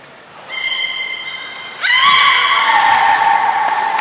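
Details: Belugas Gray, Nana and Nico in a training session at Port of Nagoya Public Aquarium, Japan, 1 January 2019, after the 16:00 show. A steady harmonic tone begins, then a louder, bent note sweeps upward and holds, rich in overtones.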